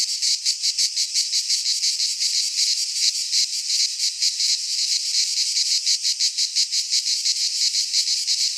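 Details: Pine forest cicadas in Greece singing in midsummer, a bright, rasping high-pitched buzz with a pronounced rapid pulsing rhythm, continuous and unvarying.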